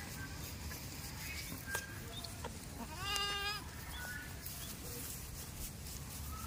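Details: Farm goat in a village giving one quavering bleat of under a second near the middle, a wavering harmonic cry over a steady low rumbling background with scattered faint clicks.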